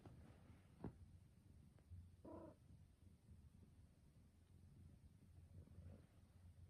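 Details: Black smoke former rescue cat that came to be petted, then quickly changed its mind; a low steady purr rumbles indoors throughout, with one short chirping meow near the middle and faint rustles and taps.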